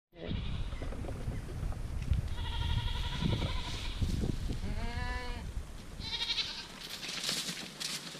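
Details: Dairy goat kids recorded in spring 2017: several wavering, quavering bleats of varying pitch rise over steady farmyard background noise, with one clear drawn-out cry near the middle.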